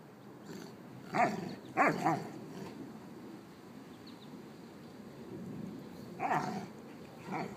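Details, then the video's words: Mastiffs at home, an old dog and her six-month-old Brice (Lola and Gertie), giving a few sharp, widely spaced barks, two close together early and another pair later, separated by near-quiet stretches. "The old mastiff and her 6 month old Brice"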